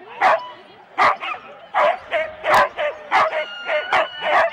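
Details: Excited barking from four-dog Husky sled teams at a race start in Rendlesham, January 2016, recorded on analogue cassette: loud separate barks repeated a little over once a second, with quieter yips between them.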